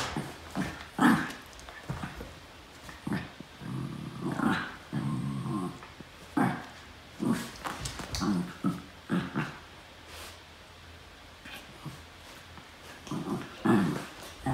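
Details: Norfolk Terriers wrestling together on a mat indoors, giving short rough growls in bursts, with a longer rumbling growl midway, mixed with thumps, scuffling and panting from the play.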